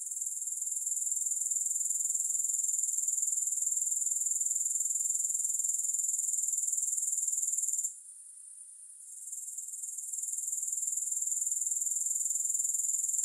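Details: Continuous high-pitched grasshopper buzz, no music, with an even pulsing rhythm of roughly four beats per second; the sound drops away briefly around the eight-second mark, then swells back.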